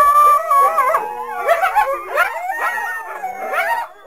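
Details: Several coyotes (Canis latrans) chorus together in wavering, overlapping howls broken by quick yips.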